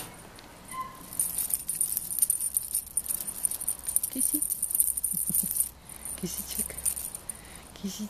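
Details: Bright jingling and rattling, like a bell toy shaken in bursts, with soft low knocks and rustling, and no animal voice heard.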